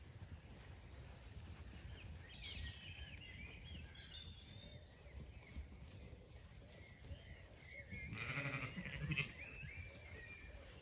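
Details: Evening in a flowering orchard on an Irish farm in County Kilkenny: after several seconds of bird chirps and twittering, a Zwartbles sheep gives one harsh, quavering bleat near the end.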